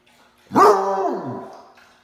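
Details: A male Basset Hound, recovering after being under the weather, gives a short, harmonic howl of protest that starts strong and slides downward.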